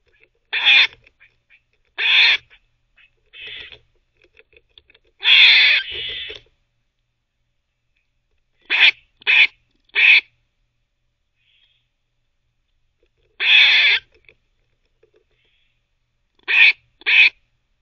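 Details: Squirrel barking while teething, a pet in a nest setting: loud harsh noisy bursts, some doubled, spaced irregularly every second or two with quiet gaps, faint gnawing clicks between.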